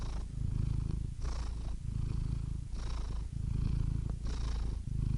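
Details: Close, deep purr of a domestic cat, a rough vibrating drone broken into breath cycles about every one and a half seconds, inhalations marked by a brief breathy hiss.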